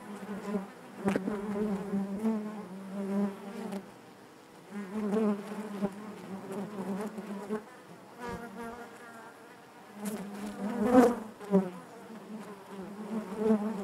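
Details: Inside a honey bee hive, a dense low hum of many bees rises and falls in waves, with short gaps near four and eight seconds and a loud close buzz of a single bee around eleven seconds.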